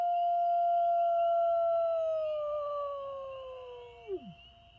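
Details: A lone black wolf, the large North American gray wolf subspecies, gives one long steady howl that sags slowly lower, then drops sharply and breaks off at the end.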